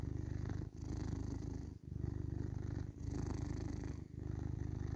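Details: Indoor male tabby cat purring evenly. A deep continuous rumble swells and dips with each breath, with a short break roughly every second. No other sounds.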